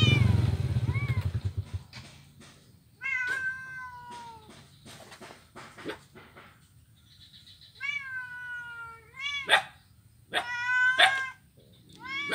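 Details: Blind kitten at play on an ironwood bridge in Kuala Kapuas, Central Kalimantan, recorded 25 November 2019; repeated high, wavering meows, some drawn out and falling, coming in quick bursts between short pauses.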